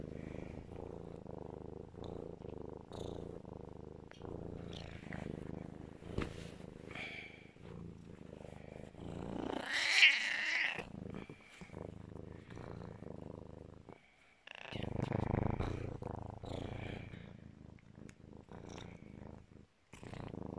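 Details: A pet serval cuddling in its owner's arms purrs very loudly in a steady low rumble, with a few brief higher chirps breaking in.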